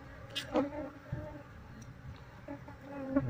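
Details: Honey bees being moved from their colony into a cardboard box indoors: a low steady hum with harmonic layering, broken by soft knocks and brief louder bursts.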